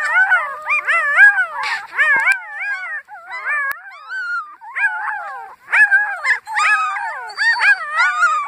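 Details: Several puppies howling together in a high, wavering chorus of overlapping tonal howls, each rising and falling, with brief yips and whines breaking in; the voices stop and restart in short bursts throughout.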